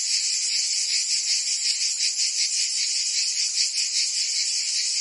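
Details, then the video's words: Many cicadas chirping on a Provence summer day in France, their high rasping drone continuous with quick regular throbs, the only sound present. "Cicadas singing in France (Provence)"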